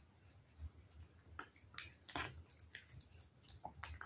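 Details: Pet cat eating wet food indoors: soft wet clicks, smacks and lip-licking sounds in irregular bursts, with brief squishy chews close to the microphone in a quiet room.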